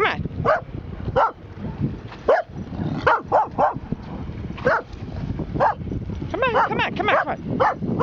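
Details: Bedlington Terrier barking at a harbor cleat at Kenosha Harbor, Wisconsin, on 20 October 2013; sharp yappy barks come singly and in quick pairs at irregular intervals, with a person repeatedly coaxing in the background.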